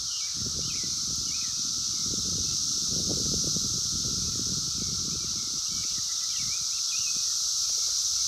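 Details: Periodical cicadas of Brood X, emerging after 17 years in 2021, heard in the wild on a phone: a steady, high-pitched wall of sound with a lower hum, light bird chirps and low rumbling noise.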